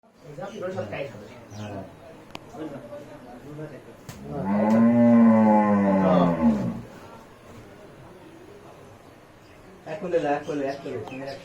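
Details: Cattle being led out, giving one loud, drawn-out moo of about two and a half seconds that rises and then falls. Low human voices murmur before and after it.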